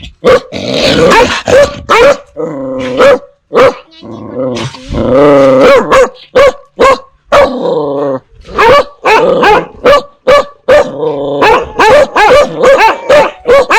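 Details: Dogs barking ferociously at strangers while puppies bark at familiar people. Rapid barks alternate with longer rumbling, tonal growl-whines in the middle, then quick barking picks up again.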